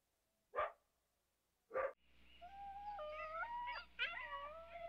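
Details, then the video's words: Coyote: two abrupt barks, then several overlapping tonal howls that rise and step between pitches, wavering together like a chorus over a low steady hum. "Som de Coiote uivando"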